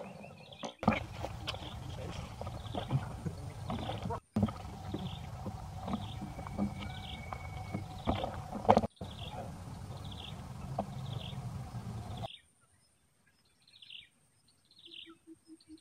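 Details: Rainbow, a pet monkey, crying after Luna, another monkey, stepped on her; short high descending cries repeat about every half second over low rumbling household noise, then near silence with a few faint cries at the end.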